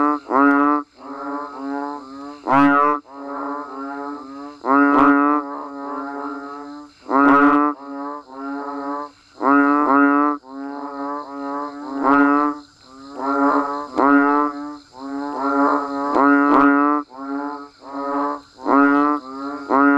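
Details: Frogs and banded bullfrogs calling in falling rain: a continuous chorus of low, droning, bleat-like notes, each lasting about a second, overlapping and repeating in uneven waves over twenty seconds.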